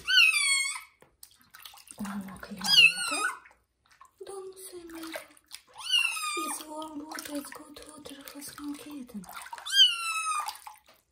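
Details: Johnny, a kitten taking its first bath in the bathroom, lets out loud, high meows that bend upward then fall, four separate cries spaced a few seconds apart, with people talking between them.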